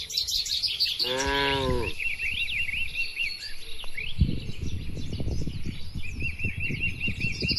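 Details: A single brief, rich moo rises from tame cattle grazing among oil palms in the Indonesian countryside, followed by rustling and thumping low sounds while birds keep chirping and trilling overhead.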